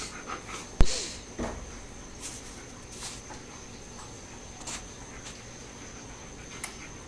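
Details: Luna, a pet female black German Shepherd and wolfdog mix, excitedly greets her owners as they return home from dinner, indoors. Heavy panting breaths come with sharp clicks and knocks and a faint whimper.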